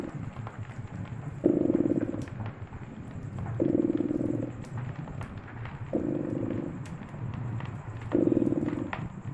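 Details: Beside a crackling fireplace during a winter snowstorm, a cat purrs in a deep rhythmic rumble, four stronger surges roughly two seconds apart, with scattered fire pops and crackles.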